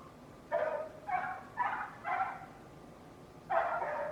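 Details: A neighbour's loud dog barking: five sharp, harmonic barks, four spaced about half a second apart, then a pause of over a second before a final longer bark. The background is otherwise quiet.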